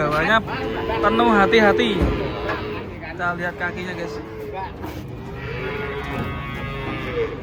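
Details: Huge cattle being unloaded from a truck give deep, wavering moos, strongest in the first two seconds and recurring later, over background speech and a thread of music.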